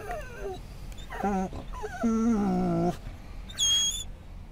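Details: Scottish Terrier whimpering at a Florida rest stop on I-10 after spotting other dogs, giving three drawn-out, quavering whines that waver in pitch, followed by a brief high squeak, over steady low traffic-like rumble.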